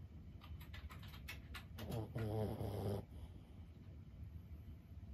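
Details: Lulu, a 15-year-old Boston Terrier, sleeping: a run of light clicking taps, then one low, throaty snore lasting about a second, followed by quiet.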